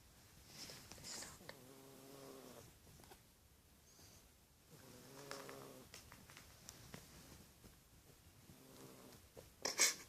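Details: A pet cat snoring indoors, soft raspy breaths with a faint harmonic buzz recurring about every three seconds, quiet and even, with a small clatter at the end.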